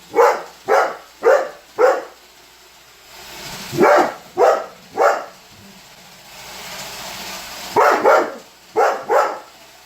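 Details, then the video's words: Sharp, evenly spaced barks from a Weimaraner dog called Holder, aimed at a Roomba robot vacuum, coming in groups of three or four separated by quiet spells of the machine's hum. "Roomba robot vacuum vs Holder - Holder The Weimaraner"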